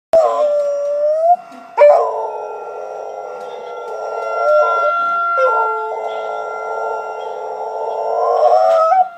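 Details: Pet dog howling in response to tornado sirens tested weekly on Wednesday at 10 AM, a habit since puppyhood over eight years; long sustained wavering howl, sliding tone at the start, over steady loud siren tones throughout.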